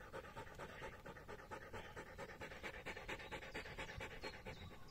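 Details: Exhausted Polish Hunting Dog named Hektor, following a 22.5 km bike ride on a hot day, keeps up a regular, raspy panting rhythm of quick breaths, slightly louder in the second half.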